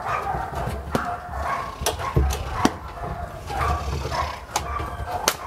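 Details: Aggressive barking from a sport dog at Vom Almere Dog Training Centre: a quick series of harsh barks, mixed with sharp knocks and low thumping noise.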